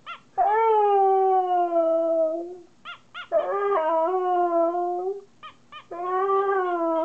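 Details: Pet Siberian Husky talking back to its owner: long harmonic howls sliding slowly downward, broken by short yips and whimpers, three main drawn-out vocal phrases across the clip.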